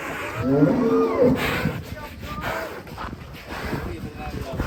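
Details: Raging cow breaking out of its enclosure gives one loud, bending moo lasting about a second, followed by scattered shouting voices and background clatter.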